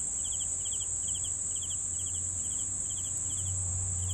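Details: Crickets call with a constant thin, high-pitched ringing and evenly spaced, rattling chirps roughly four per second, with a soft low hum underneath.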